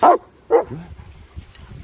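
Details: German Shepherds Nico and Zeeva, two dogs enjoying sunshine outdoors in the Scottish Borders near Hawick; two short, sharp barks half a second apart, followed by a lower, softer trailing sound and faint background rumble.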